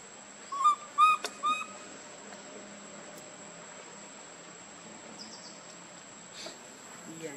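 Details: Baby monkey Lucie, pitifully crying from hunger for milk and foaming at the mouth: three short, clear whistled cries in quick succession within the first two seconds, then steady background hiss with faint high chirps.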